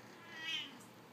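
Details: A Siamese cat that wants to go outside in the sun gives a single high, thin meow that swells then fades, insisting as she is called back inside.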